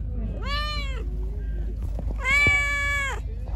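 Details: Pregnant stray cat, hungry and angry while being given food: two drawn-out harmonic meows about two seconds apart, the second longer and louder, with low street rumble underneath.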